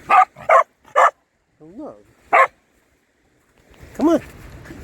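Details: Corgi working its way through a maze of fallen driftwood logs, giving two short whining yelps that rise and fall, between a person's encouraging calls to go ahead and jump.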